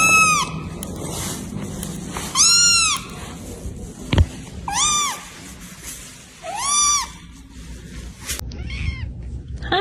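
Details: Domestic cat meowing in a funny pet compilation: a series of arched, rising-then-falling harmonic meows, about five calls spaced a second or two apart, with a sharp click and faint background noise between them.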